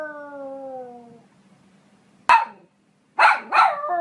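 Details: Poodle ending a falling drawn-out whine, then a pause before one sharp bark and a quick double bark trailing into a clear tonal cry.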